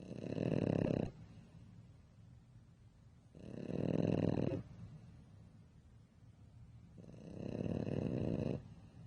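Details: French Bulldog snoring loudly while asleep: three long, rough, rattling snores, each lasting about a second and a half with quiet pauses between them, the sound likened to a motorbike.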